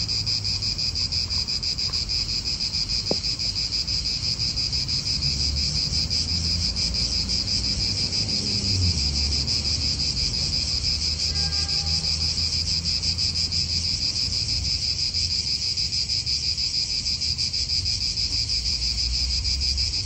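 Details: Cicadas in an Italian park, real outdoor atmosphere: a dense, unbroken high buzzing chorus with a steady shimmer, a low rumble of wind and distant traffic beneath, and a brief faint bird note near the middle.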